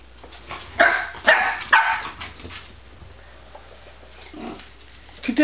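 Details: Scottish Terrier puppy giving three short, high yappy barks in quick succession in the first two seconds, followed by quieter yips, with a man speaking French in the background.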